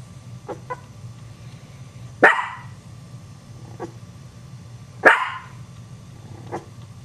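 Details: A dog's bark startles Chihuahua puppies. Two sharp, loud single barks about three seconds apart stand out over a steady low hum, with a few faint softer yips in between.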